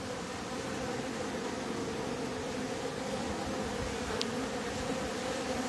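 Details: Honey bees in a top bar hive while its bottom board is being closed: a steady, dense hum with a strong low drone band, continuous throughout, plus one brief sharp click near the end.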